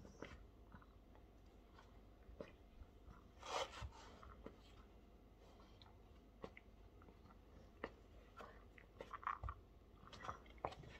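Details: Indoors, a Staffordshire Bull Terrier bites and chews, giving sharp crunchy clicks spaced irregularly, with a louder crackling bite near the start and quick clustered crunches toward the end.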